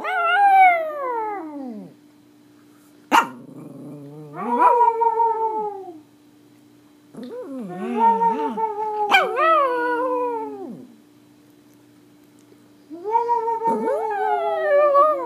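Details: Pomeranian dog singing in India, long harmonic howls sliding downward, three drawn-out bouts separated by quiet gaps, with a sharp click and a steady low hum underneath.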